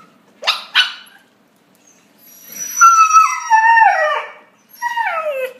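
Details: Puppies interacting: two quick sharp yips, a pause, then a long wavering whine-howl that slides downward over about two seconds, followed by a shorter falling howl at the end.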